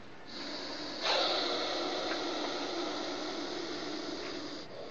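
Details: Aggressive, highly venomous Russell's viper hissing: a long, breathy, broadband hiss that swells sharply after one second and then holds fairly steady for several seconds before cutting off.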